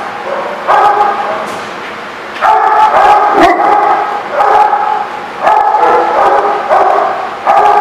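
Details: Dogs at The Barking Lot on 17 June 2016 yapping in repeated bursts of shrill, tonal yips and whining barks, each volley lasting about a second, separated by short quieter gaps.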